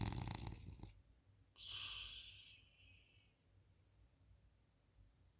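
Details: A French Bulldog snoring on a couch gives a deep, rattling rumble followed by a long hissing exhale.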